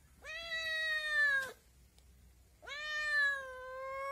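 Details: Kitten meowing twice, each meow a clear, slightly falling, harmonic-rich cry lasting over a second, separated by a short pause.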